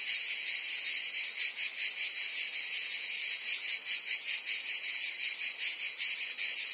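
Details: Cicadas singing on a summer day in Provence, France: a dense, shrill, high-pitched buzzing chorus that never stops, throbbing in soft pulses about two to three times per second, with no other sounds.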